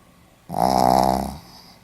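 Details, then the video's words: Pomeranian asleep and snoring, a single loud vibrating snore lasting under a second, buzzy and harmonic-rich, then a quieter exhaling tail. "ポメラニアン 犬のいびき"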